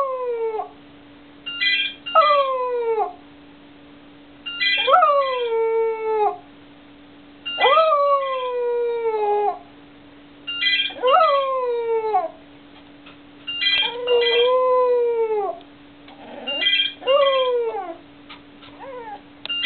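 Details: Lily, a Cocker Spaniel, "sings": she howls in drawn-out, wavering notes that rise then fall, repeated every few seconds.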